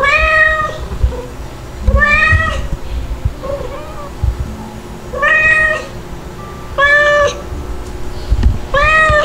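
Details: Two-month-old white kitten named Stuart, a cry baby living with two nursing mother cats, gives five clear rising-falling meows spaced about two seconds apart over soft background music and rustling.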